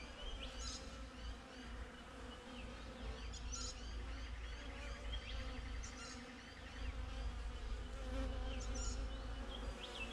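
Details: Steady hum of honey bees at a beehive, captured with a GoPro set outside it: continuous buzzing drone in stacked low tones, slightly swelling toward the end, with scattered thin chirps of small birds overhead.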